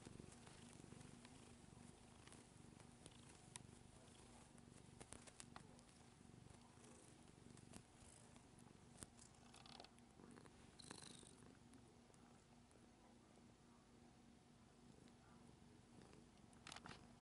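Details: Purring of a nearly nine-year-old female pet cat while kneading indoors; an unbroken low, throbbing purr runs the whole length, with scattered scratching and rustling noises over it.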